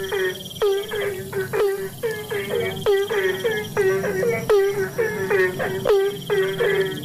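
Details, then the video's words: Asian common toad calling in the rainy season: a dense chorus of short, harmonic calls that drop sharply in pitch, overlapping in quick succession, with a steady high insect whine running beneath. "Suara katak Bangkong"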